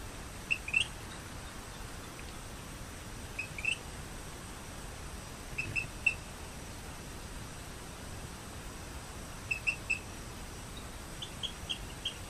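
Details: Rio Grande chirping frog (Eleutherodactylus cystignathoides) gives short, high chirps in quick groups of two to four, recorded in Broussard, Lafayette Parish, Louisiana, on 14 August 2012.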